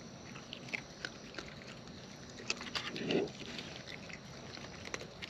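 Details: Close-up chewing of wild raccoons while eating, soft irregular crunches and clicks with a short louder mouthing sound near the middle.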